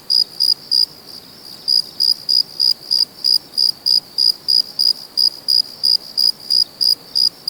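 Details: Cricket. A cricket gives a steady run of short, pure, high chirps, roughly three each second. The rhythm stays even throughout against a quiet background.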